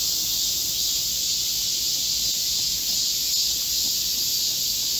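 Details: Korean cicadas chorus in a green forest in Gocheong-dong, Seoul, during a midsummer heatwave on 25 July 2024: a steady, high, hissing drone with no pauses.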